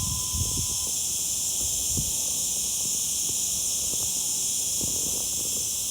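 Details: Summer cicada (zeet zeet) giving a constant shrill buzz, uniform in pitch and loudness; a brief faint tone opens the recording, with soft low taps throughout.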